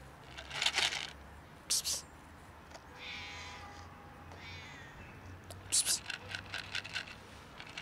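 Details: A fluffy little cat that seems to want to say something gives a drawn-out, wavering meow in the middle of the clip. Sharp clicks and rustles sound before and after it over a low background hum.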